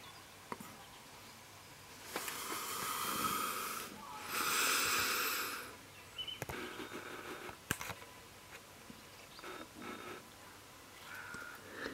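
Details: Mrs Fox, a female Welsh red fox regularly fed by neighbours, July 2017, mother of four kits: two long, harsh breathy bursts of hiss-like noise, then scattered clicks and faint rustling in a quiet outdoor setting.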